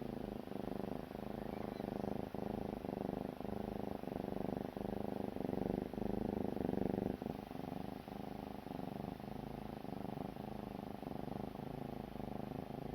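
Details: Young kitten sleeping at dawn and snoring loudly. A continuous throaty rattle beats steadily several times per second, each pulse slightly rough, and runs for the whole stretch without a pause.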